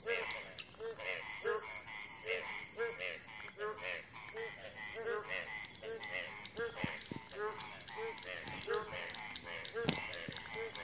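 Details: Night chorus of Indian frogs near nine in the evening as light rain begins: rapid, repeated croaks overlapping in a dense rhythm, a constant high-pitched insect drone, and a few sharp clicks later on.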